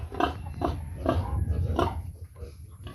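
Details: Domestic sow in heat, being taken to a breeder boar, giving short, nasal grunts about every half second, four or five in a row, over a steady low rumbling background.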